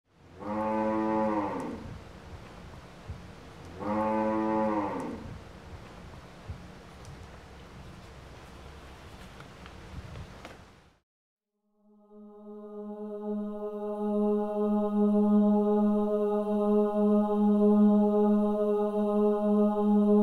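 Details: Cow giving birth to a calf: two drawn-out, harmonic moos about three seconds apart, then a quiet pause followed by a steady, level droning tone that holds for the rest of the recording.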